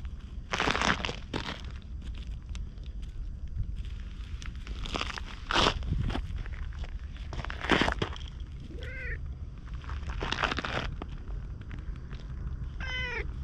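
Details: Stray ginger tabby cat following after a little petting, talking in meows, recorded on a GoPro: loud crunching footsteps dominate, then two short, bent meows near the end.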